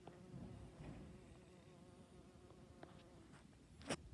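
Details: A honey bee's low, steady droning buzz on 8 September 2019, rising and falling slightly as it moves close by.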